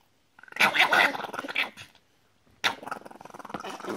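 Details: Small white Chihuahua in a blue and black vest, carried by its owner, screaming: two harsh, shrieking bursts, the first about a second long, then a brief silence and a second rougher, growly outburst.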